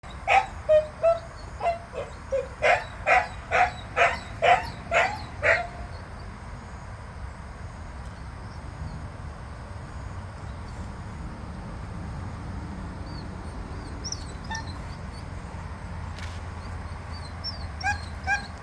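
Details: Several Jindo dogs, outdoors on a morning after rain: a quick run of about eight short, bright, harmonic yelps over the first five seconds, then quieter background with a few faint chirps.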